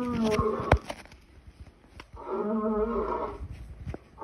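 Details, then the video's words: A lion gives two drawn-out, harmonic roaring moans, a short one at the opening and a longer steady one about a second and a half later, with sharp clicks and faint noise between them. "Lion sounds"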